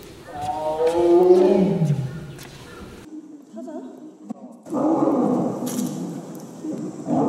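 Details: Zoo animals: a loud harmonic roar that falls in pitch over about two seconds, a quiet pause with faint sounds, then another long, rough, noisy roar.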